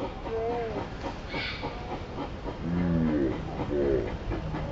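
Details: A monkey in the forest of Independence Park, home to many monkeys, gives brief voiced cries: first a higher wavering note, then lower, harmonic-rich calls that bend up and down, over a constant rushing background noise.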